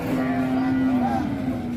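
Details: Giant Pegon cattle at a busy cattle market in Indonesia. One short, steady moo holds a level tone for almost two seconds and dips slightly at the end, with faint crowd and engine noise behind.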